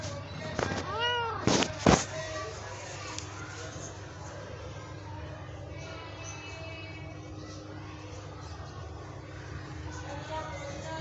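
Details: Domestic cat giving a short rising-and-falling meow with clear harmonics about a second in, followed by a couple of sharp knocks, then a steady low hum and faint background tones for the rest.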